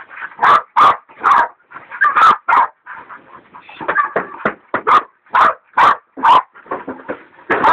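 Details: Two hog dogs, Dixie and Dollie, the latter a leopard dog still in training, baying a big sow hog: loud repeated barks about every half second, mixed with higher yelping and whining cries between them.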